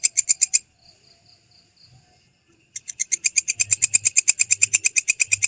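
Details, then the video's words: Belalang kecek grasshopper, an original recording made as tutor material for songbirds: rapid dry, buzzy clicking pulses about three per second, a brief pause with faint rasps, then the regular pulsing resumes steadily. "Masteran Suara Belalang Kecek asli"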